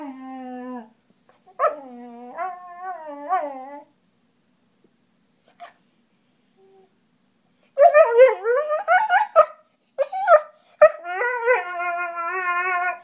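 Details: German Shorthaired Pointer vocalising while playing: drawn-out wavering howls and whines, a few sharp yips, a quiet pause of several seconds, then a burst of higher excited yelps and a long warbling howl.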